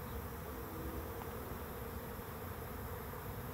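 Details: Swarm of bees moving into a swarm trap, the second for this trap: a thick, unbroken low hum of many wings, steady in loudness throughout.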